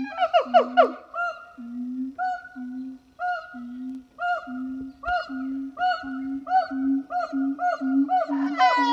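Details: Siamangs, a zoo pair at a French zoo on a hot August morning, singing: quick excited whoops at first, then low booming notes each followed by a short bark, repeated roughly every half second, rising to shrill screams at the end.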